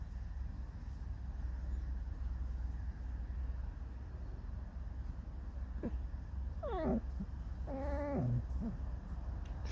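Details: A grumbling, irritated fox kept as a pet lets out a couple of quick wavering squeaks and a short whine near the end, after a long stretch of low background hum.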